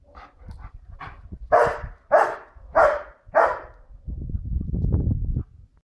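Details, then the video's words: White Swiss Shepherd female barking to warn people walking their dog behind the wall; a few soft barks, then four loud, evenly spaced deep barks, followed by a low rumbling noise. "running about and barking. White Swiss shepherd, Beli Švajcarski Ovčar, Beli vučjak"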